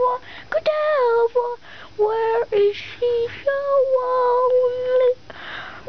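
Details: Puppies Jewel, Cruser and Quin at play make a string of short, clear whimpers and a longer steady whine, with brief squeaky yelps between them.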